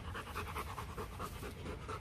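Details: Rottweiler at a Vietnamese breeding kennel on a hot day, after the champion male Loki mated with a female from Hưng Yên; rapid rhythmic panting with breathy pulses, around four per second, steady throughout.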